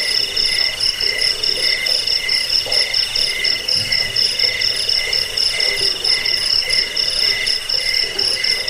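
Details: Cricket song for scaring away rats, soothing to sleep and teaching cage birds; layered piercing high chirps throb twice a second in a steady, unbroken chorus.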